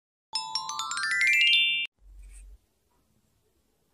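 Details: A quick rising electronic chime sweeps upward, followed by a brief low hum and then silence, with no animal sound present.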